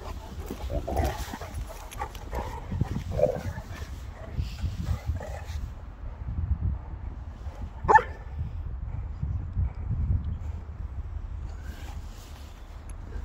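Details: Three Boerboels, South African mastiffs, playing together: short, deep woofs and gruff growling bursts come at irregular moments, with a sharp louder bark near the eight-second mark, over steady low rumbling and scuffling.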